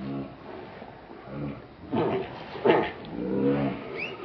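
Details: Monkey Rainbow, very angry while protecting Lucie from Kachoy, gives harsh, low, harmonic grunting calls in several separate bursts. The loudest come near the middle, over a quiet, murky background.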